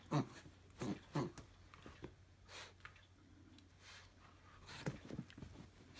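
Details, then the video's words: Jack Russell Terrier named Pickle playing its daily tug of war indoors, giving short low growls in bursts at about one second apart, then a longer pause before two more growls near the end; steady low hum beneath. "Pickle - The Killer Jack Russell"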